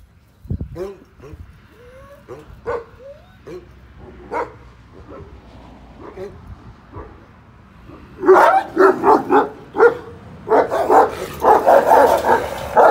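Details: Young Kangals, about a year old with black-grizzled coats, on a Kangal breeding farm: soft whines and short yips for the first eight seconds, then a burst of rapid, overlapping barking from several dogs, with some voices in the background.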